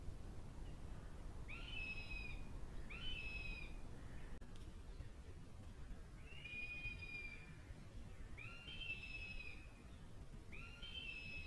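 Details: A roe deer doe in late autumn, gathering her kids like a sheepdog and urging them to jump a stock fence, gives high, nasal, slightly falling squeaks in pairs, calling them to her.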